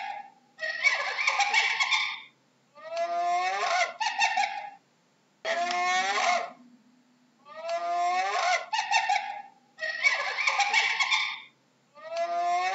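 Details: Hyena calling repeatedly, with six wavering, laugh-like harmonic bursts about every two seconds, some smoother and rising, others harsher and buzzier, with brief silences between.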